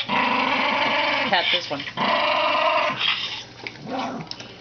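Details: Old Toy Poodle, described as getting senile with age, gives long harmonic growling grumbles that rise and fall. Two sustained bouts last about a second each, separated by brief pauses, and a quieter one follows near the end.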